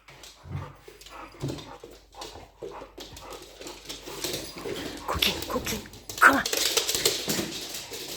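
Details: Pookie, a dog, playing with bigger dog friends indoors: scattered low grunts and huffs, then a noisy, scuffling rough-and-tumble that grows louder after four seconds, with a short sharp yelp near the six-second mark.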